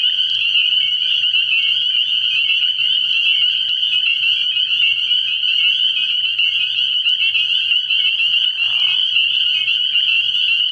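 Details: Night chorus of many spring peepers at a frog pond in the early year, a continuous high-pitched ringing of piercing peeps layered thickly, with a short lower rasp near the end and a soft steady hum underneath.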